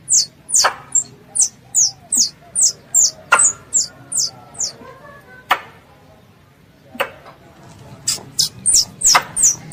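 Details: Pest squirrel calling its mother, for ambush hunting: quick high chirps falling in pitch, a pause broken by a few sharp clicks, then the rapid chirping returns.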